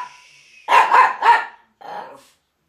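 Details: Miniature Pinscher chasing another dog off a rug, December 2009: three quick, harsh barks in a tight burst, then a softer, lower yap after a brief pause.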